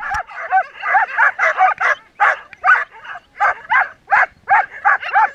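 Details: Twelve Samoyed sled dogs in a race at Oberndorf in 2014, heading from the stake-out area to the start line, give rapid excited barks and yips, about two or three each second, in a steady eager chorus.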